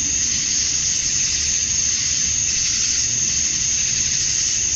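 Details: Summer dusk in Georgia, USA, filled by a chorus of male cicadas calling to attract females: an unbroken, hissing high buzz holding level throughout, with a soft low background murmur.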